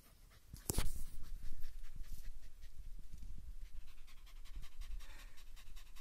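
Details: German Hunting Terrier fighting a raccoon dog, which plays dead several times; rapid, heavy panting breaths close to the microphone, a sharp crackling thump near the start, scuffling underneath.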